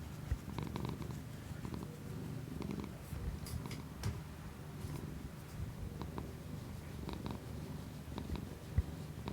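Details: Domestic cat purring close up, recorded as ASMR with a new Shure MV88 external microphone on an iPhone app; a low, steady rumbling pulse throughout, with scattered faint clicks and ticks above it.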